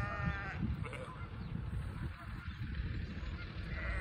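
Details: Sheep in Vermont, met during deliveries, following a person on a walk and seemingly wanting to join; a single short harmonic bleat opens, then only steady low rumbling of footsteps and wind.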